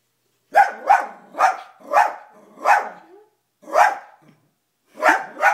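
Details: Indoors, the dog Toby reacts to footage of himself on television with a run of seven loud, evenly spaced barks, about two per second, broken by one short pause.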